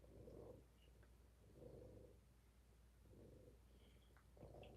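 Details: Quiet low purr from a kitten in a kitten cuddle room, possibly Rob, Faye, Fig or Fiona, pulsing in soft even swells about every one and a half seconds against faint room hiss and a few small clicks.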